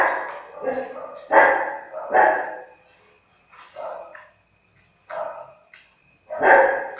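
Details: A 20-day-old Siberian husky puppy, on 8 July 2017, gives short, bursting whines and yips, with a person talking nearby.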